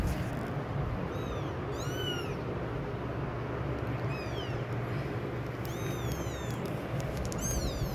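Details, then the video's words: Kitten's loud crying heard among adult cats, here softer and sparser: a handful of thin, arched meows at irregular intervals, partly buried under steady low-frequency noise. "Kitten Crying"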